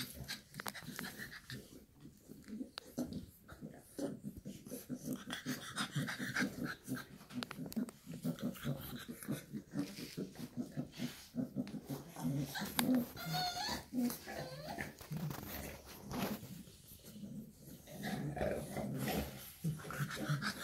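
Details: Shar Pei mother with her puppies; rhythmic breathing and panting with low growling rumbles throughout, a few faint squeaky whimpers in between.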